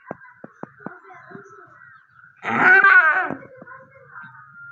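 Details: Goat giving birth to a kid. A few sharp clicks come first, then a single loud, rough, drawn-out bleat, followed by a fading high hum.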